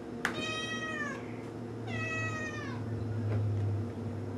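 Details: Three-year-old male mackerel tabby cat indoors, whiny meowing for fish-flavoured wet food: two long, drawn-out meows that fall in pitch, over a steady low hum.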